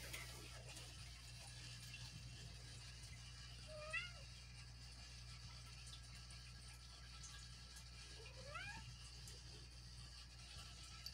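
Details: Female house cat, restless at night in a bed, calling out at odd hours to get someone to play with her; two faint rising meows near four and eight and a half seconds over a steady low hum.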